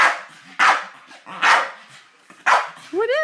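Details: Staffordshire Bull Terrier Hans barking repeatedly at an unresponsive giant birthday balloon, four loud barks roughly a second apart, ending in a rising high whine, with a person's questioning voice in the background.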